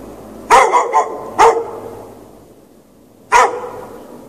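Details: Night barking from a dog chained out in the snow without shelter for several hours, 3 March 2014. A quick triple bark is followed by a single bark, then after a pause one more sharp, loud bark.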